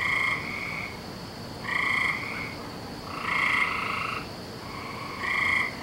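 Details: Frogs trilling on a May night, 17 May 2012, with long buzzy double-toned calls, each about one second, separated by short gaps, with several callers alternating over faint background hiss.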